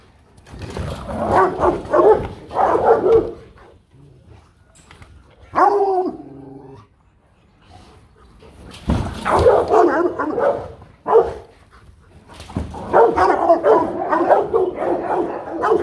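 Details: Rottweiler (Canis familiaris), bark: threatening another dog.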